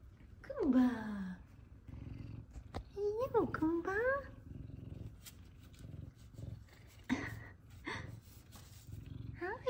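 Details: Two F2 Savannah cats, Kumba and Zara, greet their owner home from work: several wavering, rising-then-falling meows over a steady low purr, while a woman speaks to them warmly indoors.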